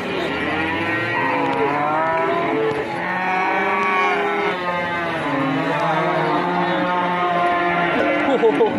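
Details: A very large Peranakan Ongole cow brought by young men from Prambanan and talked about being weighed; one long, deep, sustained moo with wavering pitch and rich harmonics, dipping briefly near the third second, with people's voices faint behind.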